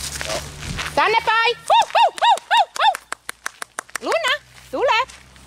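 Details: Young Dobermann at a dog school during training. High, arched whining yelps come in a rapid run, then a burst of sharp clicks, then two more rising, strained whines, with soft background noise.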